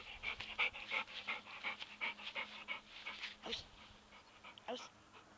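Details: Labrador Retriever at play with a football, panting hard in quick, regular breathy bursts about three per second, each puff hissy and bright, easing off toward the end with a couple of louder gasps.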